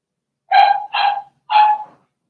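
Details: Cavalier King Charles Spaniel puppies, one of a litter of six Blenheim pups in an indoor puppy pen, give three short yappy barks in quick succession, each with a steady tone and bright harmonics, in a quiet room.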